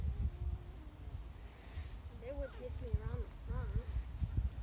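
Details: Five-week-old Small Munsterlander puppies from Jig's litter at Gosch Kennels whimper in a run of high, wavering whines through the second half, each bending up and down, over low thumping footsteps and rustling.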